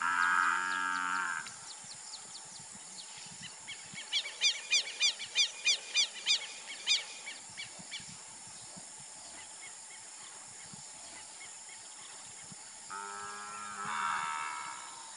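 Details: Nelore beef cattle in the Brazilian countryside: a brief moo at the start and another near the end, separated by a quiet stretch with a rapid run of about ten loud, repeated bird chirps.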